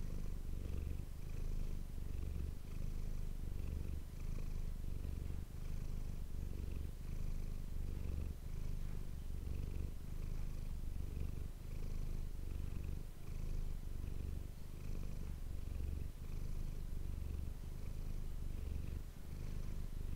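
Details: Long stretch of a pet cat, Manis, purring for an ASMR recording: an even, buzzing low rumble rising and falling with regular breaths, steady throughout with no other noises.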